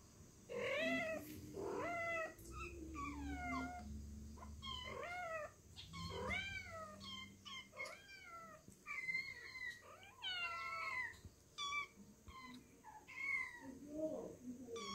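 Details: Calico cat meowing repeatedly and insistently, a rapid string of short rising-and-falling meows, some chirpy and some drawn out, with a few brief pauses between bursts.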